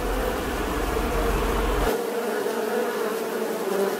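A bee gives a continuous buzzing drone, thick and even throughout. A low rumble sits underneath for the first couple of seconds, then drops away, leaving the hum on its own.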